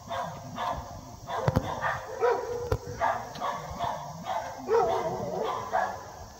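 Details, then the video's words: Barking dogs chase bear cubs up a tree as the mother bear guards the trunk. A steady run of short, harsh barks repeats at uneven intervals, with a few sharp clicks between them. "Bear Cubs Scared Up a Tree by Barking Dogs"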